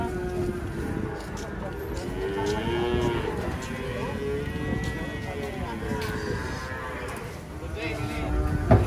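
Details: Cattle being unloaded from a truck, lowing in long, drawn-out moos that rise and fall in pitch over the first few seconds, then shorter calls, over steady background rumble and faint voices.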